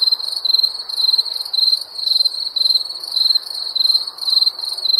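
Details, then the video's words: A night chorus of summer crickets gives shrill, pulsing chirps that rise and fall in clear bursts about twice a second, with a dim, steady rustle behind them. "Crickets Chirping Sounds of Night"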